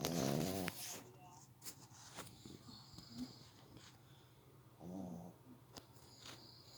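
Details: Sleeping pet dog snoring, two rattling buzzy snore bursts separated by about four seconds of soft breathing and small rustling sounds.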